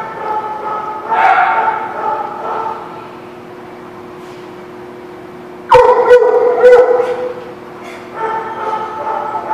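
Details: Dogs at The Barking Lot, recorded 5/12/17, giving loud harmonic barks in bursts around one, six and eight seconds, separated by quieter stretches, with a steady low hum underneath.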